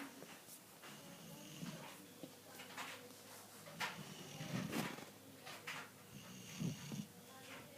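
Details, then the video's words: A sleeping dog snoring; soft, low rumbling breaths recurring every second or so, with faint snorting puffs and quiet room noise. "Snoring dog"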